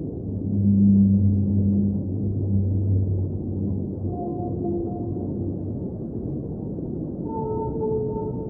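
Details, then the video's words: Whale singing underwater: deep, sustained low moans with a layered overtone for the first few seconds, then higher, drawn-out tonal wails and a pair of long, steady upper notes near the end, all over a constant rushing underwater hiss. "Underwater Whale Sounds - Ambient Soundscape | Whale Singing"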